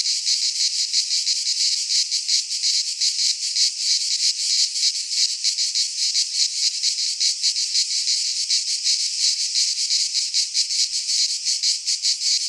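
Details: Cicadas from Greek fauna singing in a pine forest at midsummer, an intense sizzling high drone with fast flickering pulses, constant in loudness for the whole stretch.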